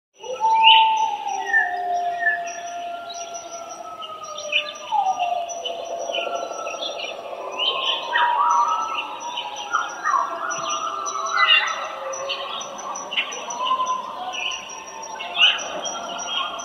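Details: Coyotes howl together in long wavering tones sliding down in pitch, overlapped by sharper yips and barks.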